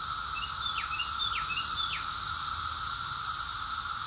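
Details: A steady, unbroken chorus of cicadas in Rockville, Maryland, USA, in June 2021: a dense, high buzzing drone with a lower humming band.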